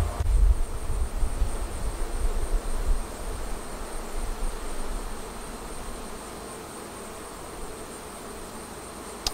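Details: Honey bee colony at a Flow Hive during a first extraction cycle, honey removed frame by frame; a low, even hum, louder at first and then settling to a quieter drone, with a faint steady high whine.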